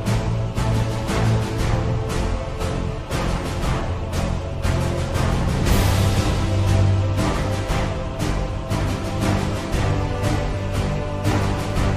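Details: Dense instrumental music with a steady driving beat of about two pulses per second, heavy bass and dark theme-like tones throughout, with no animal voice audible.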